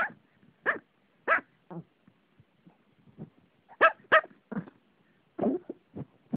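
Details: Pet Pomeranian standing on its owner barks in quick, sharp, high yappy bursts, about a dozen over six seconds in uneven clusters of two or three, with short quiet gaps and no other clear sounds.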